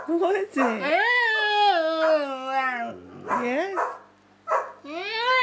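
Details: Pet dog Samson talking with Josie: rising, yodel-like whines and moans that swoop upward then glide down, interrupted by a person speaking softly in a small room.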